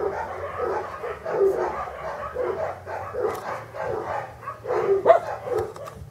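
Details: English Cocker Spaniel pups from a kennel litter born in August 2011, producing rhythmic bursts of shrill yipping and whining roughly every half second to second, the calls rising and falling in loudness, with a quiet background hum.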